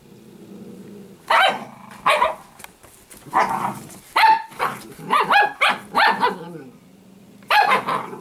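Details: Italian greyhound puppy named Sparkle growling and barking: a low steady rumbling growl runs underneath sharp, high yapping barks in irregular bursts, sometimes paired or in quick runs of three, with short quiet gaps between.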